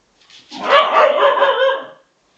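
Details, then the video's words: Bedlington Terrier pair Freddie and Lottie, young dogs of 7 and 10 months, making strange noises while playing: a drawn-out, rough, wavering growl-bark lasting about a second and a half. "Freddie & Lottie the Bedlington Terriers making strange noises whilst playing!"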